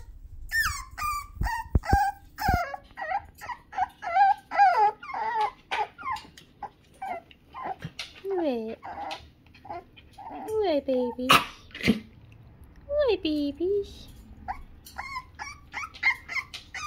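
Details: Toy Poodle puppies at six weeks old, called mad, producing bursts of thin high whines and yips, some long falling squeals, separated by short pauses and sharp clicks, music faintly behind.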